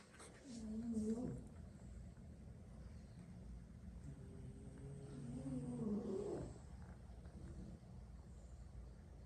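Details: French Bulldog snoring, one of six sibling dogs napping sprawled around the room after lots of play; two rough, low, rasping snore bursts with a buzzing overtone, about five seconds apart, with quiet breathing between.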